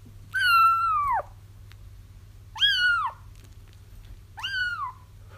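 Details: Kittens crying for a feral mom the trapper hopes to catch: a long drawn-out first mew followed by two shorter falling ones, repeated roughly every two seconds, over a constant low hum.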